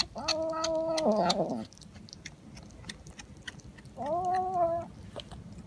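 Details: House cat uttering two steady, nasal meows: the first held about a second before dropping and breaking into a rougher slide, the second shorter and flat-topped, with light background noise between.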